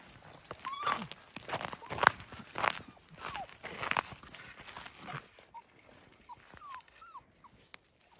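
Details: Seven-week-old fox red Labrador Retriever puppies on their first outing outside give short high whines and yelps, several falling in pitch, scattered irregularly over rustling footsteps and movement through the grass.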